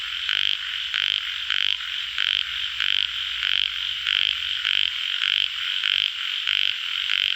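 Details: Tiger frog, also known as yellow frog, calling: harsh rasping croaks in steady bursts about twice a second, laid over a constant high, hissing frog chorus with no other sounds.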